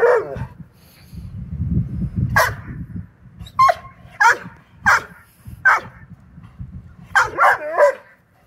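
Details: Vizsla dogs playing ball give short, sharp barks and yips in quick bursts, with low rumbling noise underneath.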